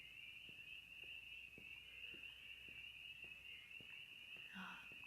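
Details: Spring peepers calling near an old dam in March, heard on a walk: a dense, unbroken high chorus of overlapping peeps forming a steady shrill band, with soft footstep-like taps underneath.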